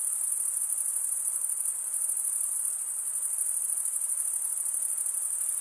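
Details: Male crickets stridulating, drawing the top of one wing across the serrated vein of the other. The result is a continuous, very high, shrill ringing drone with rapid pulsing and only a slight dip midway.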